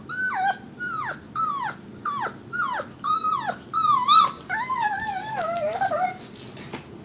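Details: A pug crying over a hat: a run of about nine short, high whines at roughly half-second intervals, each sliding sharply downward, then a longer, wavering, drawn-out whimper that rises and falls.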